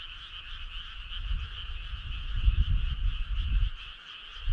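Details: Summer-night chorus of frogs on a country road: unbroken, buzzy pulsed trilling from many animals, partly masked by rumbling low noise that swells midway and fades.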